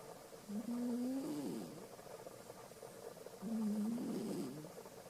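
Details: Sleeping house cat Alisa snores loudly, producing two long, warbling low-pitched breaths that rise slightly and then break up, separated by a quiet pause of about two seconds.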